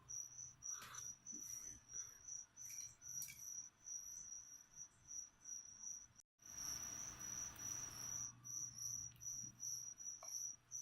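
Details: Live crickets used to feed a leopard gecko keep up a high, even chirping, pulses every half second or so, interrupted by a brief rustling burst and scattered clicks.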